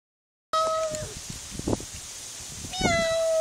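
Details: Pug meowing along with its owner, impersonating a cat: two drawn-out, tonal, meow-like whines, each about half a second long, separated by quieter rustling and faint background noise.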